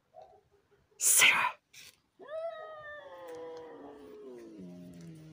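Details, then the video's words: During a cat fight, a loud spitting hiss is followed by one long drawn-out yowl that rises quickly, then sinks gradually in pitch, ending in a low moan. "Драка котов"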